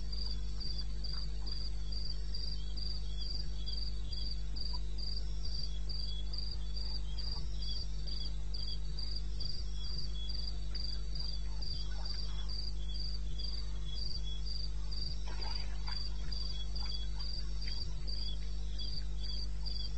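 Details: Night cricket in the eastern Botswana wilderness, recorded 2:30 a.m. on 21 May 16, calling in regular high-pitched pulses, roughly three to four per second, with a continuous low droning background.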